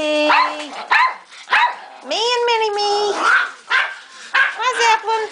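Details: Household pack of small dogs, Salmon the Chihuahua and Zeppelin among them, trade short barks and one longer rising then level whine, the calls coming in clusters about every second amid a person's chatter.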